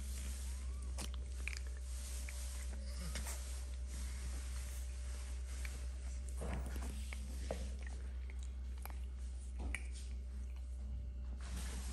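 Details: Three Shih Tzu puppies eating indoors: soft biting and chewing clicks over a steady low electrical hum, with no calls or barks heard.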